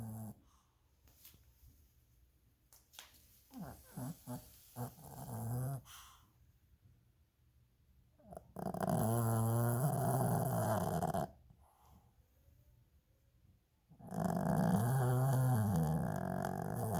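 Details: A nine-year-old male Lhasa Apso snores while asleep indoors. Quiet scattered snuffles come first, then rough, rumbling, buzzy snores lasting two to three seconds each, separated by a few seconds of silence.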